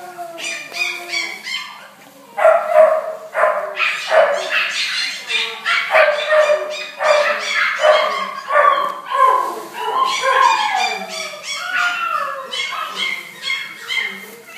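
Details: Blue Shar Pei dogs in a dense, continuous chorus of sharp yelping barks and whines, many short calls overlapping almost without pause, some sliding downward in pitch.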